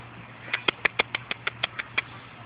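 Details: Four-and-a-half-week-old puppies on their first outing outdoors with their mother Fergie and half sister Miley: a quick run of about ten short, high squeaky whimpers, evenly spaced a fraction of a second apart, over a low steady hum.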